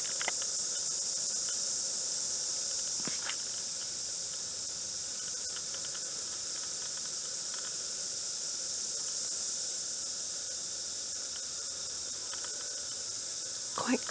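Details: A chorus of cicadas singing at 11:30 pm on 9 February, unusual for these diurnal insects, a steady, high-pitched hiss that never breaks.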